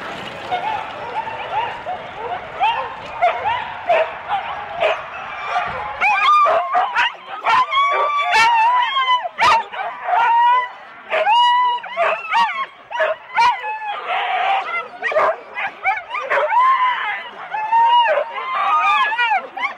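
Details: Husky sled dogs in four-dog teams at the start of a race at Rendlesham in January 2016, recorded on analogue cassette tape. Excited yelping and barking from many dogs builds into a near-continuous chorus of high yips and barks.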